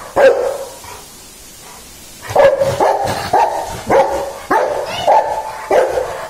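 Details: Single sharp dog bark, then two seconds of quiet before a run of about seven loud barks at an uneven pace, each short and clipped with a faintly ringing tone.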